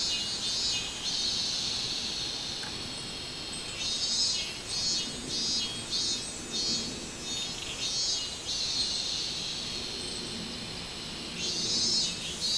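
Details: Minmin cicada in full song, 24 July 2016, its high shrill pulses running in waves that build and ease off, a continuous insect hum beneath.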